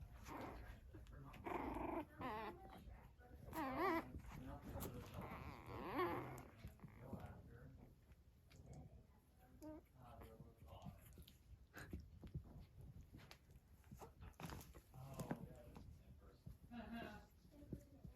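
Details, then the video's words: Five Blenheim Cavalier King Charles Spaniel puppies, almost four weeks old, playing and exploring each other indoors. Low growly rumbles and short whiny yelps come in bursts through the first half, then fade into softer scuffling, with human voices at times. "Cavalier Puppies Purr, Bark, and Play"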